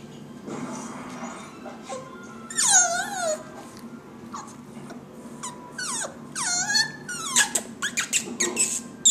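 A Jack Russell Terrier puppy gives high, falling whines and short squeaky yips.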